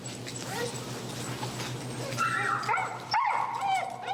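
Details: Feral husky Finnegan, very vocal during heel training with pressure in Chicago, voices disagreement with a behavior: short yips, then drawn-out rising and falling whining howls that bend up and down, over steady low background hum.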